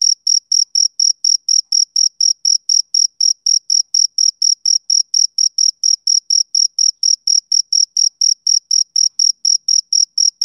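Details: A lone male cricket chirps through a summer evening, high, ringing pulses in a fast, regular train lasting the whole stretch, with a clean, quiet background.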